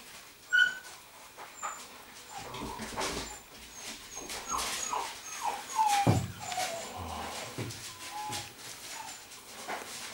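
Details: Rhodesian Ridgeback puppies born 9 September 2016 at the Makao Line kennel, giving thin high whimpers and short falling whines, with some squeaky tones near the start. Rustling, handling noise and quiet voices are heard throughout.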